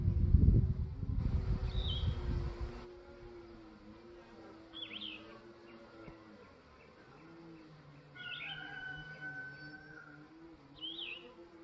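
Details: Honey bees from a new nuc at a Langstroth hive landing board on the morning of day 3, after two days of rain. A steady low hum with humming tones around the entrance, loud handling thumps at the start, and birds chirping in the background.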